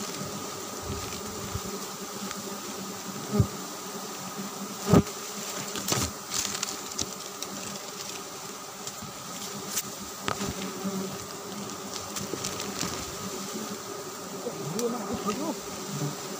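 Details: Giant honey bees (Apis dorsata) during a bright-season honey harvest: an unbroken, low droning hum from many bees, broken by scattered sharp taps and clicks, the loudest near the start.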